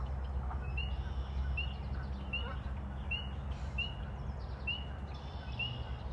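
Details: A spring peeper calls in a wetland on a gloomy day early in the year while it is still cold. It gives short, high, rising peeps, about one every three-quarters of a second, over low rumbling noise.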